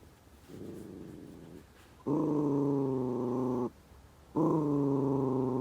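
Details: Senior Miniature Dachshund working desperately to get dried sweet potato treats out of a Kong: a softer moan is followed by two loud, sustained, steady harmonic whines of about one and a half seconds each.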